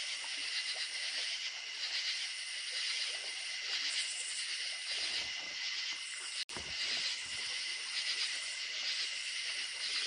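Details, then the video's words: Crickets chirring at night in the countryside beside running creek water: a thick, high, steady trill from many insects, broken by a short dropout partway through, with gentle water hiss beneath. "Relaxing Crickets At Night"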